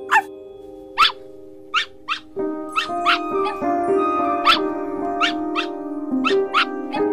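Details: A dog gives quick, repeated barks, a dozen or more, some in close pairs, against a continuous musical backing.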